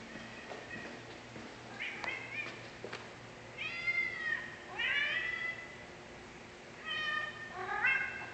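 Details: Iris, a hungry domestic cat waiting for her dinner after being left unfed all day, gives a series of loud, drawn-out meows that rise then fall, about five in eight seconds, with a quiet indoor background.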